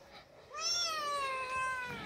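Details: A cat gives a single drawn-out meow lasting about one and a half seconds, starting abruptly, holding a steady slightly falling tone with clear harmonics, then fading; faint room hiss underneath.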